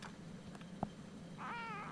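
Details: Siamese kitten nearly four weeks old, woken early one morning and answering back: a short tap, then a level, slightly wavering meow near the end, with a woman's voice before and after.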